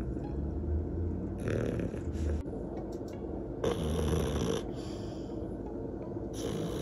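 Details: Resting old French Bulldog sisters, both twelve years old, snore deeply: rough, low snorting breaths in uneven bursts, louder inhalations around every two seconds, with soft music faintly underneath.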